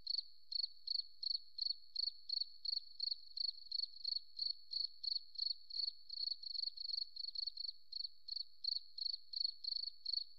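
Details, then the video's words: A cricket in the forest keeps up an unbroken run of sharp, high-pitched chirps, evenly spaced at around three per second, with a few pulses bunching together midway; nothing else audible. "Beautiful Cricket Sound"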